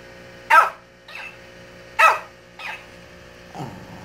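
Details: Shih Tzu barking at a toy that repeats its voice: two loud, crisp barks, each answered about half a second later by a weaker copy, then a lower, softer bark closing the sequence.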